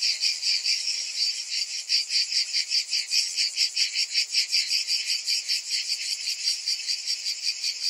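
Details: Cicadas in summer, a dense high buzzing chorus that pulses about two to three times a second, steady throughout with no other sounds.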